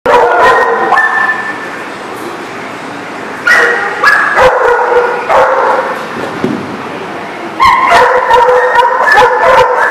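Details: Several dogs barking together, likely a kennel or boarding yard, recorded 15 February 2019; loud overlapping barks and yips in bursts, some sustained whining howls between, with no other sounds standing out.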